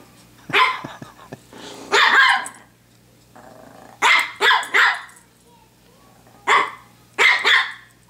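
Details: Pomeranian playing with a hair clip at home, giving bright, sharp yaps in quick clusters of two or three, about every two seconds, with short pauses between bursts and a faint steady hum behind.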